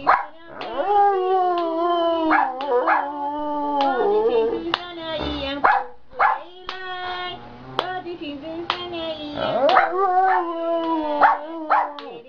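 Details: Giant panda in a good mood, singing almost nonstop in the afternoon: wavering, nasal, harmonic drones that bend up and down, interleaved with frequent sharp clicks and brief squeaky bleats.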